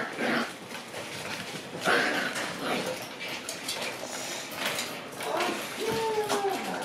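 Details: Shiba Inu puppies in a kennel room at night, with more staying over: short high whines, one rising squeak, then drawn-out falling whimpers near the end over steady room noise and some faint human voices.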